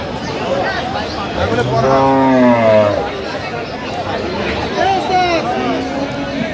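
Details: Cattle at Aftabganj haat, a livestock market selling cows and calves, recorded 11/10/25: one long, low, steady moo lasting about a second and a half, rising slightly then falling, amid men talking and market chatter.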